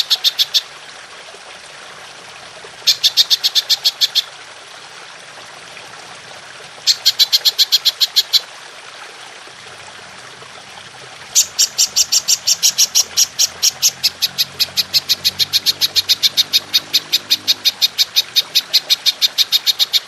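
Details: Long-shooting call of a golden grasshopper, belalang emas, taped for training songbirds: short bursts of bright rapid clicks open the track and return near three and seven seconds, then a sustained unbroken ticking run lasts from eleven seconds to the end.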